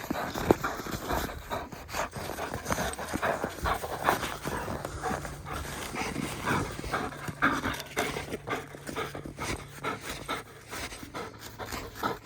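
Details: A 1.5-year-old German Shepherd bitch named Raya, playing with her beloved stick, pants hard and fast in rapid, noisy breaths, mixed with scuffling and rustling from the tug game.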